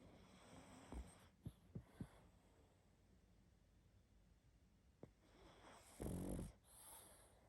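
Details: Sleeping pug snoring heavily: a few short clicking snorts early on, then one loud rasping snore near the six-second mark, with quiet breathing noise between.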